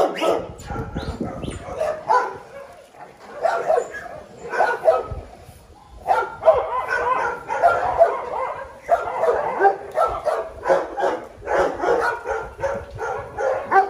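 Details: Small dogs barking in rapid, overlapping bursts, sharp yaps tumbling over one another in dense clusters with brief pauses, a continuous excited chorus across the whole stretch.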